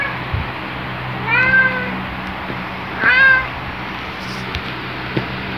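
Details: Black cat Luna's loud jolly greeting on waking: two drawn-out harmonic meows about one and a half seconds apart, each rising then falling, over quiet room hum.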